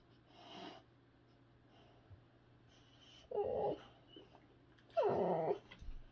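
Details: Two Boxer dogs, Rex and Sammy, indoors in the morning while Rex is picky about breakfast and Sammy wants his food. Two short nasal whimpering whines about a second and a half apart, the second louder and longer, over quiet room hum.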